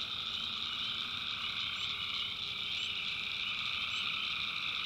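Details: Tree frogs calling at night in a North Carolina backwoods swamp: a dense, steady chorus of overlapping trilling calls in two high bands, with faint chirps above and a soft low rumble beneath.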